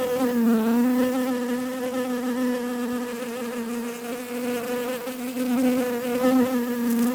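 A bee drones close by with a continuous, low, rich buzz. The hum holds its pitch for the whole stretch, dipping and swelling a little as the insect shifts.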